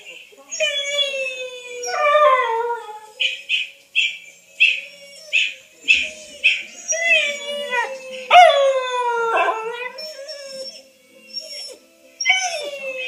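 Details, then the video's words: Female whippet named Wylee howls in response to hearing herself played back, mixing long sliding wails with a run of short repeated yelping notes in the middle, followed by further falling howls and a quiet close. "Wylee the whippet hears her self for the first time on YouTube"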